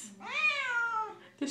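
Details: Indoor female Siamese cat joining her owner's singing of a Les Misérables song with one long meow that swells then slowly slides downward, followed by the person's singing voice.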